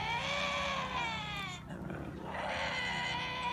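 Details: Lynxes making weird growling sounds that resemble human voices: a drawn-out, wavering tonal wail with rich harmonics, dipping briefly in the middle before resuming, steady and loud throughout.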